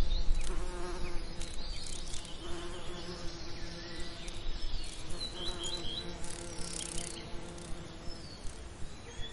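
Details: Bees buzzing among summer lavender, a steady low droning hum with layered harmonics that swells and fades as insects pass, over faint high bird chirps and a soft regular ticking in the background.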